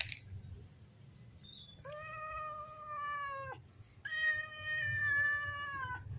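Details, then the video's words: Black domestic cats, a mother and her kitten, meowing to ask for food: two drawn-out, even-pitched meows, each lasting under two seconds, with a faint short squeak before them, over a steady high whine and low room rumble. "kucing hitam meowng2 mintak makan"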